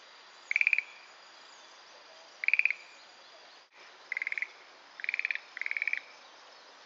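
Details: Calls of a Schlegel's green tree frog hidden in wetland sedge at Itsukushima, a light castanet-like clatter: two well-separated rattling bursts, a short dropout, then three more clicking bursts closer together.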